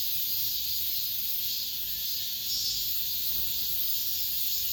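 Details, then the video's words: End-of-summer cicadas in an apartment complex make a sizzling, high-pitched continuous buzz with gentle slow swells and no break. "올 여름 마지막 매미소리"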